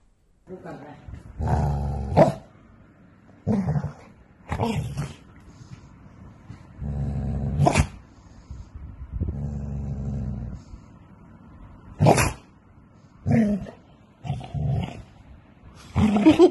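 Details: Aggressive growling from a Golden Retriever: low rumbling growls held for a second or more, broken by sudden sharp barks and snarls at irregular intervals over about sixteen seconds.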